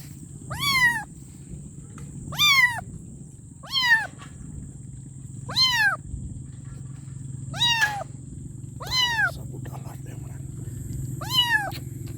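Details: Kitten crying for its mother with seven loud meows at uneven intervals, each quickly rising then falling in pitch, backed by a continuous low droning hum and a faint high electronic tone.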